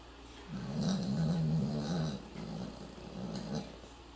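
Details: Yorkshire Terrier asleep and snoring loudly like a human; a long low rasping snore in drawn-out pulses, followed by two softer shorter snores.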